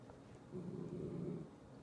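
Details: A Corgi growling during a tantrum: one low, rumbling growl lasting about a second, steady and fairly quiet, rising out of faint background hiss and fading again.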